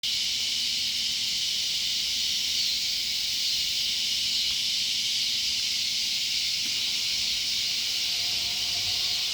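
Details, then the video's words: Loud cicadas by a sunflower garden, a steady, dense buzzing hiss held without a break for the whole stretch, with no other clear sounds. "Loud cicadas"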